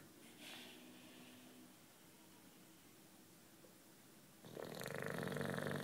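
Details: Juanito, a nine-year-old British bulldog, asleep and relaxing indoors: soft, faint breathing for several seconds, then a loud, harsh, rasping snore swells up near the end and carries on strongly.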